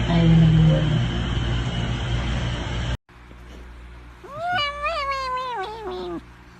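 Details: Cat in a funny-cats compilation: after loud, broad noise and a brief silence, one drawn-out, wavering meow lasting nearly two seconds that ends in a downward slide.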